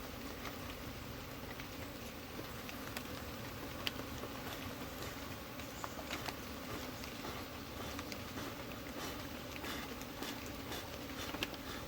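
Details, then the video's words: Honey bee colony, handled while being settled into a hive kept inside soil as the bees are coaxed downward. A steady low droning hum runs throughout, with scattered clicks and crackles and a rough, noisy background. "How to keep bee colony inside soil"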